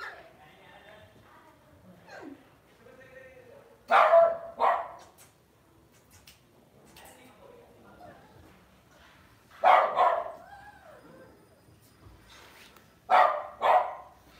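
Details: Lhasa Apso kept as a pet indoors, barking in quick doubled bursts separated by several seconds of near silence, with soft whimpering sounds and faint voice-like murmurs between.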